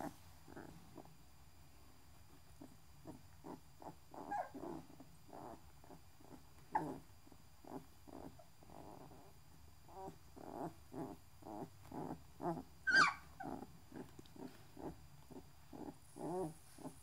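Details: Six-day-old newborn Great Dane (Canis familiaris) puppies give a steady stream of short squeaks, grunts and soft whimpers.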